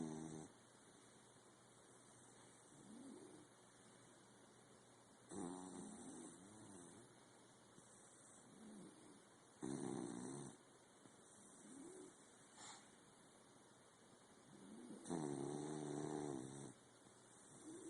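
A sleeping corgi snores in slow, rasping breaths with louder rattling surges every few seconds.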